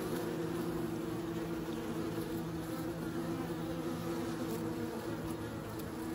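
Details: Continuous hum of bees, a low droning buzz holding steady from start to finish with no pauses.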